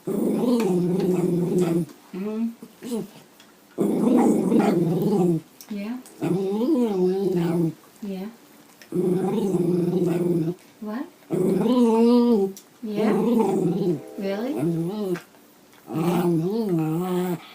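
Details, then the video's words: Female Bichon Frise indoors 'talking' with her owner, caught on an iPhone 5: drawn-out, wavering, moaning growl-like phrases of one to two seconds, rising and falling in pitch, alternating with short pauses and the owner's voice. "Real Talking Dog!!"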